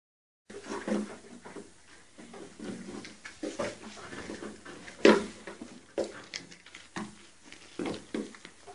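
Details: Baby goats at play on a see-saw, or teeter totter, indoors: short, wavering bleats come in bursts, mixed with thumps and knocks from the board and a loud cry near the middle.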